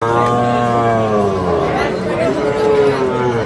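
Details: Sahiwal bull calves at Ambari cattle market in Parbatipur, Dinajpur, Bangladesh, on 5 May 2025, during buying and selling: a long, low, droning moo held about three seconds, with people talking over it.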